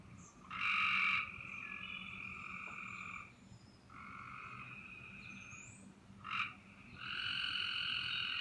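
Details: Possible tree frog calling from the trees on a spring evening, heard from a back deck after dinner: drawn-out tonal calls, each about two to three seconds long, with a bright overtone. Three calls, separated by short pauses, over a quiet background.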